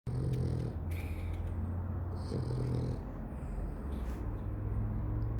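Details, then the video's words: Sleeping dog snoring loudly: low, rumbling, rasping breaths with a steady deep drone, swelling at the start and again around the third second, in a quiet room. "Dog snoring loudly"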